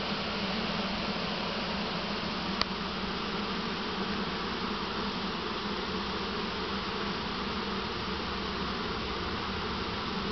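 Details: Honey bee swarm being transferred into a single deep hive from a nearby swarm trap; steady massed buzzing drone, with one brief sharp click partway through.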